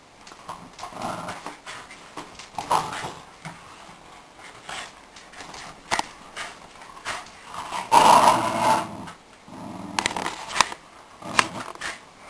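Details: Shiba Inu dogs playing tug of war indoors, growling in uneven rough bursts, loudest near eight seconds, with brief whimper-like notes, scuffling and sharp knocks between growls.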